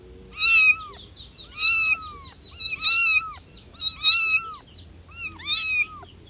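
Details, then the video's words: Kitten calling for its mother: five high, thin meows, each a short sweep that falls at the end, spaced roughly a second apart over a quiet background. "The sound of a baby cat calling its mother"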